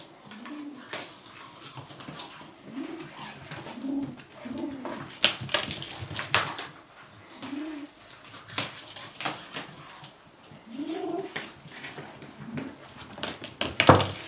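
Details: Furry kitten keeping its toy and responding to threats with owl-like sounds, low hooting growls rising and falling in short bursts about every second, over frequent clicks, scrapes and rustling in a small room.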